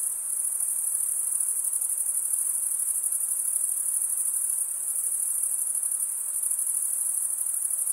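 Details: Male crickets stridulate, running one wing along the serrated vein beneath the other, producing a steady, very high buzzing trill with a faint rapid pulsing texture and nothing else audible.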